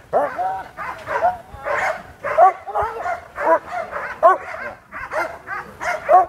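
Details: Fierce sport dog at Vom Almere Dog Training Centre confronting a handler used to facing Pitbulls: a run of harsh, harmonic barks in uneven bursts, with human voices mixed in throughout.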